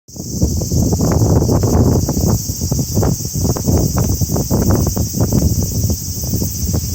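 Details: Cicadas at the start of summer: a steady, unbroken high-pitched buzzing drone over loud gusts of wind and rustling tree leaves.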